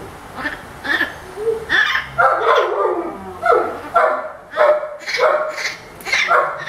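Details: At a veterinary visit, the orphaned infant howler monkey Milette complains loudly, producing a run of harsh, yipping cries repeated roughly every half second to second, over soft room noise.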